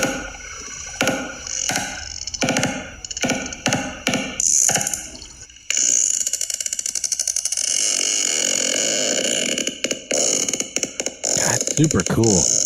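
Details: Clicking sperm whale communication, a recording played back in a discussion of Project CETI's AI work: sharp separate clicks about every half second at first, then a fast continuous rattle of clicks like machinery, ending in squeaky tones.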